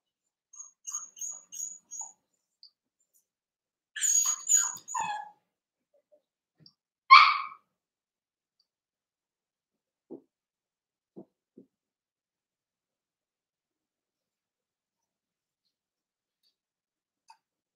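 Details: Cavalier King Charles Spaniel puppies Cooper, Conner and Jenny, born 9 June 2022, ruby and Blenheim coats, overnight on 27 August: a run of short, thin, high squeaky whimpers, then one louder yelp near seven seconds, with faint ticks after.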